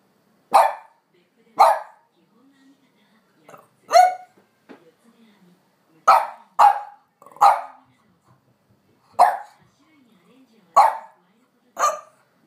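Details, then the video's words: French Bulldog pressing its slow owner to go for a walk, though usually quiet. Around ten sharp barks come in uneven bursts with pauses, and soft faint sounds between them. "フレブルあめりの早く散歩に行こうよ！French Bulldog"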